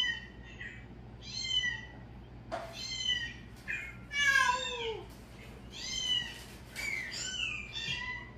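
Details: Cats reacting to calling sounds: a string of short, overlapping meows and chirpy mews, several sliding downward in pitch, coming in bursts every second or so over a low steady hum.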